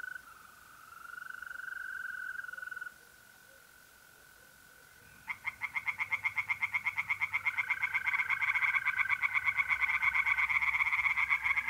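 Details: Pond tree frogs on an April night in north-east Italy: a mole cricket's steady buzzing trill gives way to a tree frog chorus of quick, grating croaks that grows louder and denser, with the trill continuing underneath.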